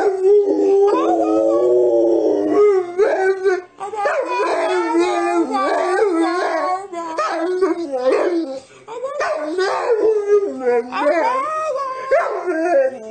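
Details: Chatty dog letting out a long run of yodelling, howl-like cries, steady at first, then breaking into many short rising and falling yips and moans with barely a pause.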